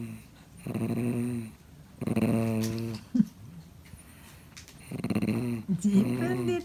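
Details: Pon, a 13-year-old male cream Pomeranian, growls quietly indoors while stubbornly trying to get a toy by himself rather than letting his owner fetch it; low, droning growls come in three bouts of about a second each, with brief scuffles between.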